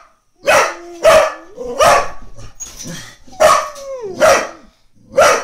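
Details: A Brittany dog gives sharp, irregular barks, some trailing into whiny tones, trying to wake the neighbour's cat asleep on the lawn next door.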